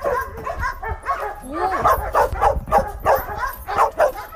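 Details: Fierce, surrendered mixed-breed hunting dog at feeding time, barking in quick, slightly irregular bursts of about three per second, sharp and mid-pitched, with a short whine-like rising note partway through.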